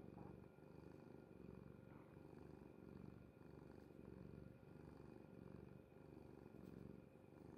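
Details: Pet cat Kuri, fast asleep on mother's bed, gives a deep steady purr that swells and eases in a regular breathing rhythm of roughly one cycle per second. A faint electrical hum is steady in the background.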